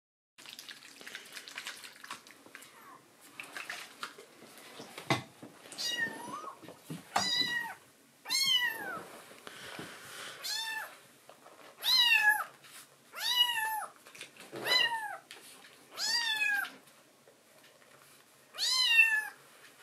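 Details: Rescued tuxedo kitten in foster care, awake at night after drinking milk, meowing sweetly to its mama: a few soft rustles and clicks, then about ten high, arching meows with rich harmonics, spaced one to two seconds apart indoors.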